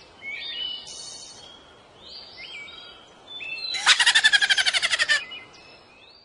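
A ground squirrel gives a fast, harsh, laugh-like chatter of about a dozen sharp pulses.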